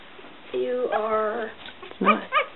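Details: One-week-old Smooth Coat Collie/Coon Hound/Pomeranian mix puppies (Bella, Kooper and Boy) indoors: a steady harmonic whine held for about a second, then two short, higher yelping squeaks, with a woman's soft talking nearby.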